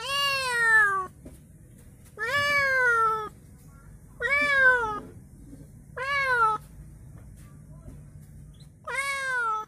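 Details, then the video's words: A newly arrived cat, received as a gift, cries with five loud drawn-out meows about every two seconds. Each meow rises slightly, then falls away, and quiet background noise lies between them. "Ada temen baru kucing menangis"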